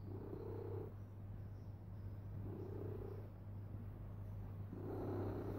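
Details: Domestic cat lying down and purring very loudly, a steady low rumble that swells into a brighter, breathier phase about every two seconds as it inhales and exhales.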